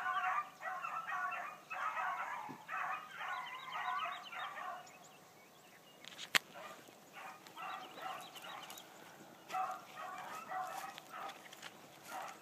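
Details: A new Blackcreek gyp, a female hound, running for the first time one morning: distant, rapid bursts of baying in rhythmic clusters, pausing around the middle, with a sharp knock near six seconds and steady background hiss.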